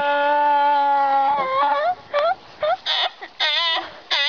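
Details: Donkey screaming: a long, steady, harmonic tone that wavers and breaks into shorter rising and falling bursts, with brief gaps between them.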